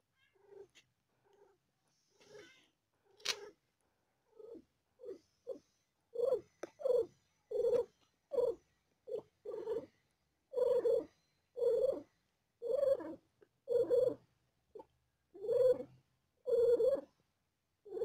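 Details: Domestic cat giving birth to four kittens and feeling pain: rhythmic voiced bursts, quiet and sparse at first, then loud and steady roughly every second, in a quiet indoor setting.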